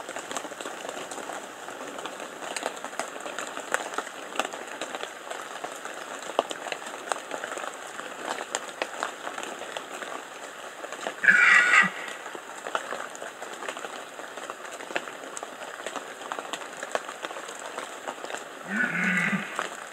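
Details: Red deer rutting in the Bieszczady, 2015: after a long stretch of crackling, rain-like noise, one short gruff roar breaks out, and another starts just as the recording ends.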